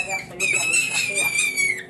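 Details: A held Angora rabbit cries as its valuable fur is removed, giving one sustained, shrill squeal that stays level and then slides slightly down. Low voices murmur indoors beneath it.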